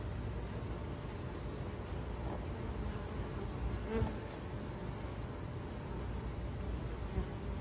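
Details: Honey bees from urban beekeeping hives in Ontario: a steady, dense low hum of many wings, with a faint brief tick near the fourth second and another softer one near the end.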